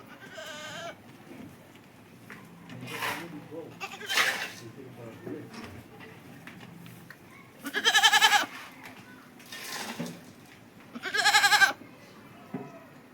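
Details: Feeding on green fodder, a goat lets out strong, quavering bleats, two standing out near the end, while a human voice talks quietly at intervals in the background.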